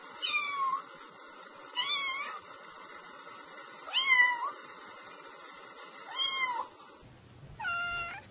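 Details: Five clear kitten meows sound at roughly two-second intervals. Each is a bright call that rises and then falls, over a steady faint background hum.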